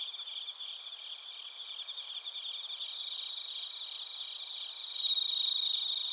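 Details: Crickets, including bell crickets, chirping at Narita, Chiba, Japan, captured with a TASCAM Portacapture X8: several shrill insects overlap in a continuous high drone with rapid pulsed chirps, then a clear bell-like ringing tone grows louder over the final second.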